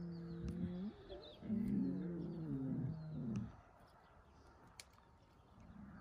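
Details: Lions in Crimea, among them the lioness Simona and the males Sultan and Girey, give deep harmonic moaning calls: a rising groan, then a longer wavering moan of about two seconds, then quiet with faint clicks and background noise.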